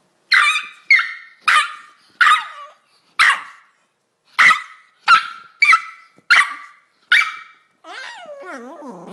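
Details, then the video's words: Chihuahua barking: about ten sharp, high-pitched yapping barks at uneven intervals, then a wavering, whine-like sound at the very end. "Chihuahua Barking Sound Effect"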